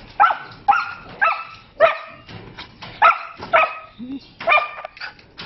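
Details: Novita, a Siberian Husky puppy, gives high, harmonic yelping calls that rise and hold, repeated about twice a second in short bursts. A low human voice cuts in briefly near the end.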